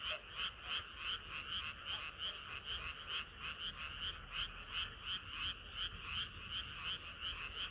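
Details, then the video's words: Frogs singing in chorus on a hot summer night, a dense overlapping croaking pulsing about three times a second in a bright band, steady and continuous, with low background rumble. "개구리들의 합창은 끝이 없어라"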